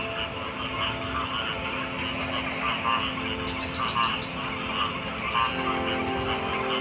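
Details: Frogs in a dense chorus of overlapping, pulsing croaks at mid to high pitch. The calls rise and fall in clusters throughout, over a constant droning hum that fills the background.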